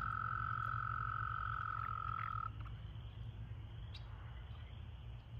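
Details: At a pool crowded with breeding American toads, a single sustained, level trill runs for about two and a half seconds and then stops, leaving faint low rumble and a few soft distant clicks.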